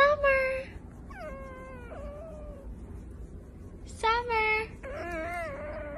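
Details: Domestic cats meowing in short, clear, wavering mews, a few spaced over six seconds, some bending up and down in pitch, with faint background hiss.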